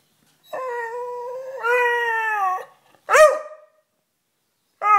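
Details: Sniffer, a pet Beagle indoors wanting to come up on the bed, gives two long steady howls, the second higher, followed by a sharp bark-like yelp and the start of another howl.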